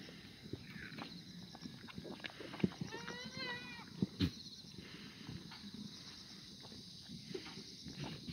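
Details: Korean black goat on a free-range, antibiotic-free farm at the foot of Muchuksan, Sangdong-myeon, Gimhae, Gyeongnam, South Korea, on a clear Wednesday morning in August 2019. It gives one wavering, quavering bleat of under a second against constant high insect buzzing, knocks and a man's voice.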